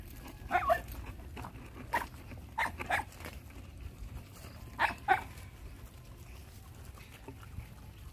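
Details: Hungry dogs and puppies at feeding time: short high yelps and whimpers in scattered pairs over steady low background rumble.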